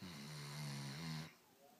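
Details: Snoring from Blue, a dog: a single drawn-out, low, droning snore lasting just over a second, rough and nasal, then fading to near silence.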